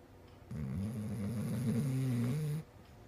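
A Basset Hound snores with a low, rumbling drone that wavers through one long breath.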